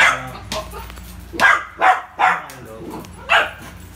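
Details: Rio, a Poodle playing with a ball, gives four or five crisp barks, a quick trio in the middle followed by a single later bark, with soft background noise.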